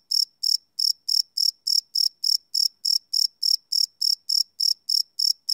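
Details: Night-time cricket chirping captured live on a Sony PCM D100 field recorder, no loops: shrill, evenly spaced pulses about three per second after a short opening gap, against otherwise silent darkness.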